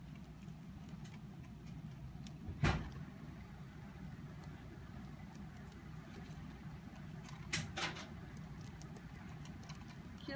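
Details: Low steady room rumble with two brief sharp knocks, no animal voice audible.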